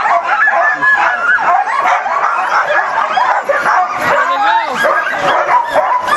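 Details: Several eager huskies at Caribou Crossing, Yukon, recorded 15 May 2013: overlapping yips, whimpers and sliding howls pile into a steady noisy chorus, with a few clear rising-falling howls near the end.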